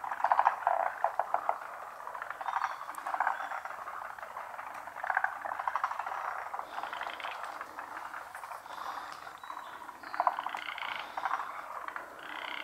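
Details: Pond frog chorus, callers unseen: a rough, rattling mass of croaks with repeated surges of fast pulses every couple of seconds, plus a few thin higher chirps late in the stretch.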